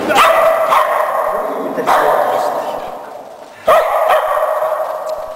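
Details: Wallace, a Shetland Sheepdog practising running contacts on a low A-frame with a box in agility training, lets out three sharp barks spaced over five seconds, each fading with echoing ring, no speech.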